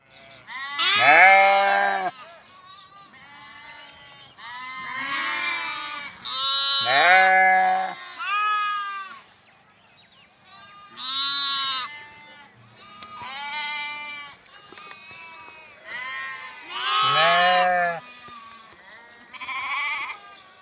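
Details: Sheep and lambs bleating in a compilation, a series of loud harmonic wavering bleats, some deep and some higher lamb-like, coming in bursts every few seconds with quieter gaps between.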